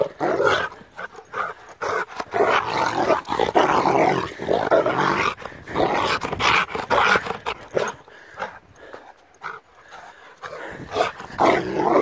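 A Rottweiler barks and snarls in rapid, harsh bursts, a fierce and aggressive outburst.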